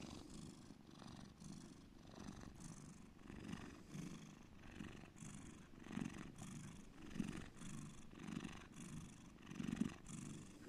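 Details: Deep purring from Bear, a pet cat: steady low rumble pulsing with in and out breaths about every second, gradually growing stronger.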